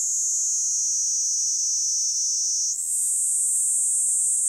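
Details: A Kaempfer cicada (niiniizemi) sings by a walkway on a commuting route in Japan as summer approaches, a steady, high, hissing trill that shifts slightly higher near the end.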